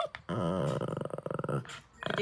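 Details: Puppy covets its owner's dried fish snack. A low, throaty growl rumbles for over a second and breaks into short pulses. A woman's voice talks right after it.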